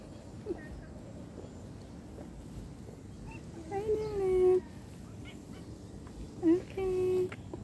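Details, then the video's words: Cat upset at being separated from its owner utters two plaintive meows a few seconds apart, each swelling then sustained at an even pitch, after a stretch of quiet background murmur. "funny and cute cat and separation is hard || cat lovers viral cat | meowing"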